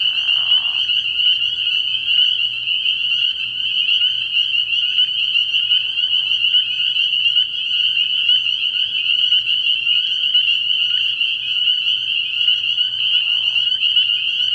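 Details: Night chorus of spring peepers at a frog pond early in the year: many high piping calls overlap into a steady shrill ringing, with a few brief lower murmurs from other frogs underneath.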